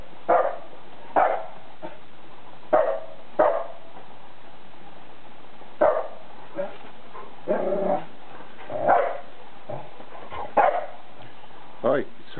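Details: A pair of poodles, Bella and Dougal, rough-playing in snow for the first time, York, UK, February 2012. Repeated barks arrive in irregular bursts, mixed with a rougher growling stretch midway as the play-fight continues.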